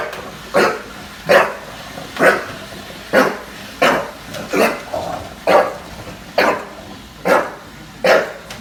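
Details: In NYC, Junior, a bulldog, faces off with a Roomba. He gives repeated gruff barks, about one a second, some with a rougher, growly edge.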